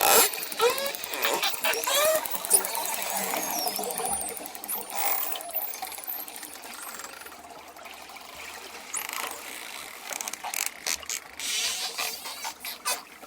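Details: Dolphin sounds over ocean waves, opening with many curving high whistles and squeals, then clicking pulse trains that return in short bursts with brief gaps between them.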